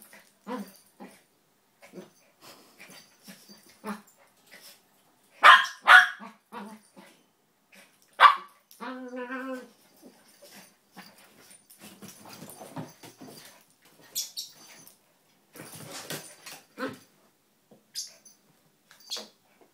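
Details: Two small pet dogs, Donut the red toy poodle and Dino the Maltese, wrestle in play, not fighting: scattered short yips and snorts, a bright harmonic whine around nine seconds, and soft scuffling between bursts.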